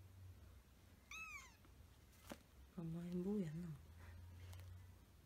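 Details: Pet cat recorded as a kitten, its cute meow remembered fondly, indoors: a short, high, falling meow, then after a pause a longer, lower, wavering sound, over a steady low hum.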